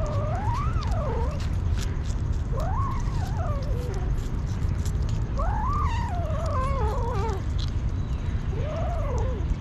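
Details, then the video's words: Hungry street kitten meowing four times, each call an arched, wavering cry that rises and falls, spaced a few seconds apart over a steady low rumble of background noise. "Aww Crazy Hungry kitten"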